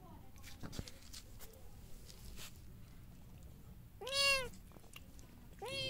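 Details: Domestic cats at feeding time, a mother cat with her kitten eating; two clear meows, the first long and arched, the second rising just before the end, over soft chewing and rustling.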